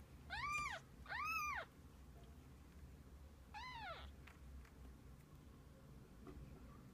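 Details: Mother cat and kittens together through the day: two strong arched meows in quick succession, a pause, then a third thinner meow, followed by low background hum.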